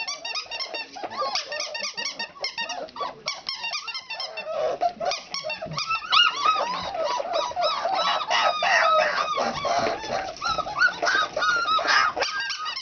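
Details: Four-week-old country puppies in a noisy practice session, a rapid overlapping stream of squeaks, about four per second, building into louder, longer wavering whines and howl-like cries in the second half.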